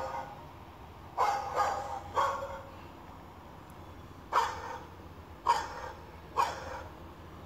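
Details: Short, sharp barks around a 2-month-old male Shih Tzu pup as he reacts to a played dog bark: a quick cluster of three barks, a pause, then single barks spaced roughly a second apart against faint background hiss.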